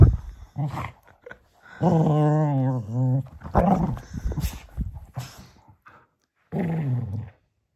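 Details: Male Cocker Spaniel playfully tussling with a toy donkey before bedtime, small room: scattered snuffles and clicks, then a wavering harmonic growl lasting about a second and a half, further rough grumbles and a last short growl.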